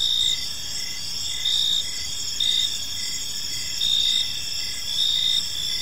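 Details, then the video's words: In a park as evening falls, crickets keep up a bright, sustained high drone, broken by louder trilled bursts roughly every one to two seconds. "Cricket Sounds in a Peaceful Park"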